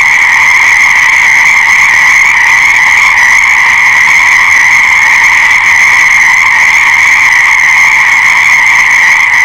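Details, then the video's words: Frogs calling together in a dense, unbroken chorus, a steady high trilling drone with layered bright tones that never pauses across the whole stretch; no other sounds stand out. "Fascinating Frog Sounds"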